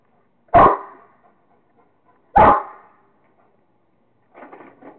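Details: Rottweiler Kingston having fun with a squirrel, giving two loud, abrupt barks about two seconds apart, followed by faint scratchy rustling.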